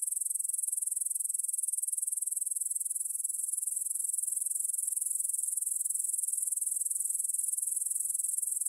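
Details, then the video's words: Grasshoppers in a meadow by the Svensky monastery, Bryansk, Russia, 9pm, 6 September 2020, recorded on a Tascam DR-44WL in stereo: faint, very high, steady rapid pulsing that forms an unbroken shimmering chorus. "Звук для сна: кузнечики на лугу – Grasshopper Sounds in the Field for a Quick Sleep"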